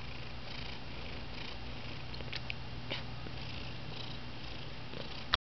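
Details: Indoor male house cat that has reportedly lost his meow keeps up an even, low, throaty purr, with a few faint clicks and rustles before it cuts off abruptly at the end.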